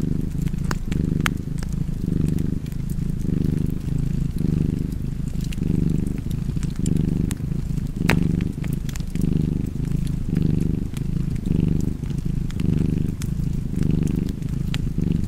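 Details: Relaxed cat purring steadily near a fireplace. The deep rumble comes in regular breath pulses, around fourteen over the span, with fire crackles scattered on top and one louder snap midway.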